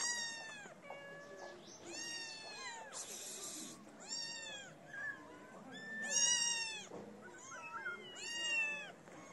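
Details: Hungry feral kittens crowd around someone feeding street cats, leaving their black-nosed mother behind. Repeated arching meows, roughly one every two seconds, some overlapping, plus a short rustling burst of noise.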